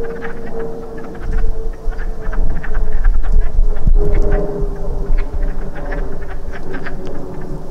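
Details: Breeding wood frogs at a pool after rain: fast, uneven quacking chuckles from several frogs, partly masked by a steady humming drone and low rumble.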